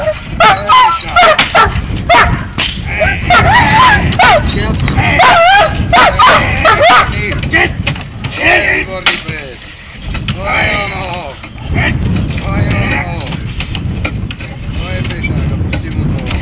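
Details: Dog barking during protection training: loud, rough barks in rapid, uneven bursts, about two or three a second, with a short pause near the middle, mixed with people's voices and background noise.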